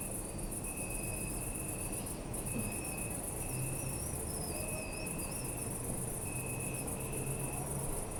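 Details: Night in a city park: many crickets pulse in a fast, shrill, continuous chorus while a lower insect trills in drawn-out stretches; faint squeaky chirps and a steady low urban hum underneath.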